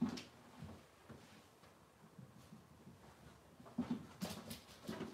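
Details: Cavalier King Charles Spaniel puppies of Robin's litter indoors in a small room, Wednesday morning: low, soft whimpers and grunts come in short bursts, with a louder cluster near the end among light rustling.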